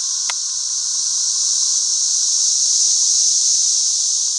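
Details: A 13-year periodical cicada swarm, thousands strong, in a back yard: a sharp click opens, then an even, intense high hissing drone with a quieter low hum carries on throughout.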